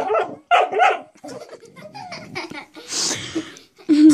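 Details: Pet dog barking at a door stop it has discovered and seems to see as a threat; a few loud barks open the clip, followed by people talking and laughing.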